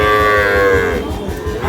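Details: A single sustained, tonal moo from a Sahiwal bull calf at Ambari haat, Parbatipur, Dinajpur, held about a second before fading into market hubbub.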